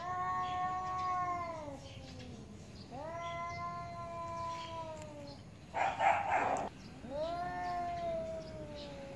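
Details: Cats arguing angrily, three long harmonic yowls, each swelling then gliding downward, separated by brief pauses, with a sharp noisy hiss burst before the final wail.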